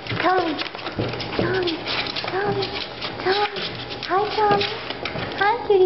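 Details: Five-week-old Miniature Australian Shepherd puppies from a litter of seven, indoors during trick training; high arched whines and yelps rise and fall again and again under steady cheerful human talk.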